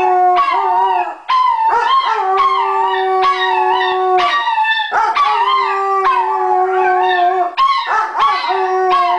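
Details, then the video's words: Sadie the Weimaraner and Tony Montana the Chihuahua howl together in the evening, as they do daily; one steady low sustained tone held for seconds under higher wavering, quavering howls, in phrases broken by short pauses. "Weimaraner & Chihuahua Howling"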